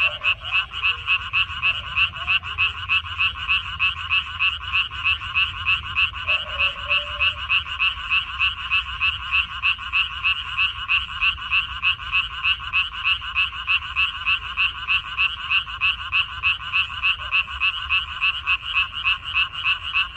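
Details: Chorus of frogs in a Korean minari (water dropwort) field, recorded 14 May 2021: dense, rapid pulsed croaking, about three calls a second, steady and unbroken throughout, with a faint low rumble beneath.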